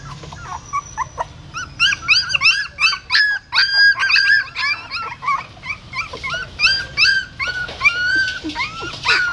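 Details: Female dog moving her newborn puppies in her mouth from a pagoda stupa in Siem Reap: a rapid, irregular run of piercing, whistled squeals and yips, nearly three per second, after a quieter, sparser start.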